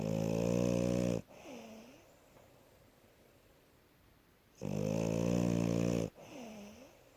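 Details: Sleeping French Bulldog Asya, worn out from play, gives loud rattling snores, each followed by a short whistling sigh on the out-breath, with calm quiet breathing between the snores.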